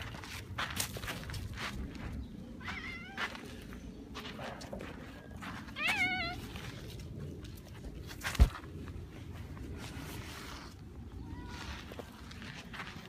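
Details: Red tabby cat outdoors in a park during a feud between cat families, bringing a hunted mouse as a welcome gift; a few short, faint meows, one clearer wavering call midway, over heavy low rumble, footsteps and a sharp knock.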